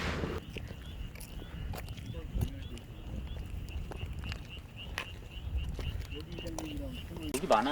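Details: Suweon treefrog calling: a steady run of short, high, clicking pulses, roughly three each second, over a low rumble, with a voice speaking near the end.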